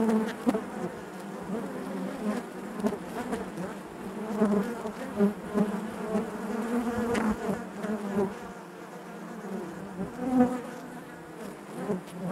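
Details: Inside a honey bee hive, a thick continuous hum of many bees, low droning bands shifting in pitch as single insects rise louder now and then, with faint ticks and rustles of bodies moving.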